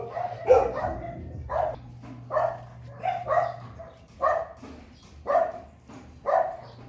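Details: A breeding dog reacting to seeing a female for the first time barks in single loud yelps about once a second, each short and strong, over a steady low electrical hum.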